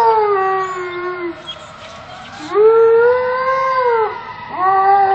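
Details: Alaskan Malamute howls along with passing fire trucks, a sustained steady howl that fades, then a louder, rising, drawn-out howl and a third starting at the end.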